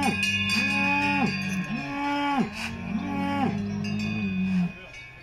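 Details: Salers cattle at a show in Pleaux, Cantal, France, 13 August 2022. Four or five loud, arching moos come in quick succession, each swelling and then dropping away, over a steady low drone and faint cowbell clinks.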